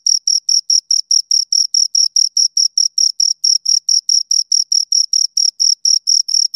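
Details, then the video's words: Crickets, two of them, rubbing out a fast regular run of shrill chirps around four per second, bright tone with a faint higher band, nothing else audible. "Two Crickets Chirp Sounds"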